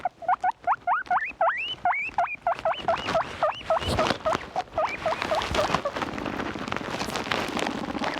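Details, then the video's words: Guinea pigs making loud noises: rapid series of high, rising squealing whistles repeated several times a second, growing denser and noisier toward the end with rustling. "LOUD NOISES!!!"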